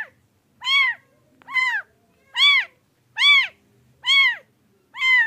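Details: Domestic cat giving a steady run of arched, harmonic meows roughly every 0.8 seconds, evenly spaced and similar in loudness, with faint low background rustle between calls.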